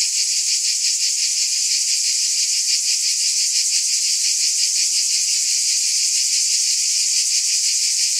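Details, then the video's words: Cicadas buzzing in one steady, dense, high-pitched drone with a fine rapid pulsing throughout and no pauses or other sounds. "Scintillating Cicadas"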